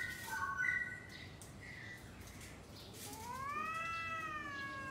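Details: Two domestic cats trading calls before a fight: short high wavering tones early, then a long drawn yowl that rises and slowly falls, with faint background hiss.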